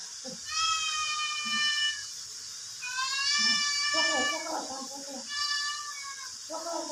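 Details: Domestic cat sound heard by curious, alert kittens searching for an unknown cat: three long, high, steady meows of about one and a half seconds each, separated by short pauses, with soft low murmurs in between.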